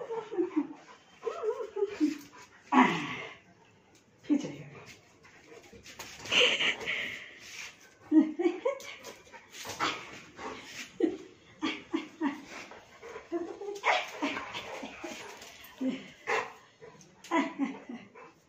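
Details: Saint Bernard puppy playing with its mother: rising and falling whimpers and squeaky yelps over constant panting and scuffling, with some human voices.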